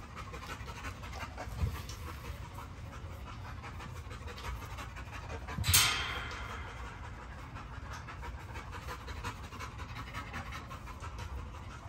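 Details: Great Dane panting in quick, breathy, even bursts, with a single sharper knock near the middle and faint background noise.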